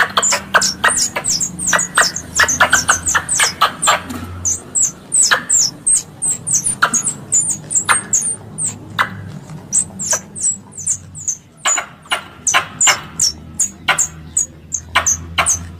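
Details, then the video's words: Squirrel call used as a lure for hunting squirrels: fast, steady run of sharp, high chattering chirps, each with a clicky onset, about two per second, over a faint low hum. "Suara pemanggil tupai / bajing untuk berburu | suara pikat tupai bajing"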